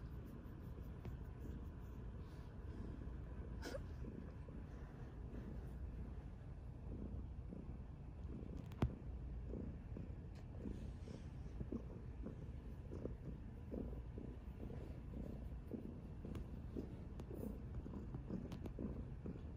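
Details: Mya, a chubby orange tabby cat, purring while being cuddled indoors; a low, steady rumble pulses softly in time with her breathing, with faint handling noises and a brief rustle.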